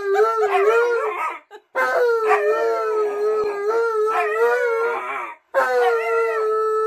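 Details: Alaskan Malamute Tonka, following its owner to the bathroom, gives three drawn-out wavering howls separated by brief silences, each starting with a rough burst and settling into a steady tone.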